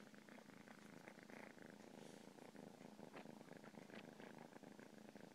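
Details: Cat purr, continuous and throbbing, a dense low buzz with faint crackly texture above and quick regular pulsing throughout.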